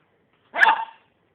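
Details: Pet dog indoors, acting strangely while filmed on a phone, gives a single short, sharp bark lasting about half a second. Otherwise quiet, with the owner speaking briefly before and after.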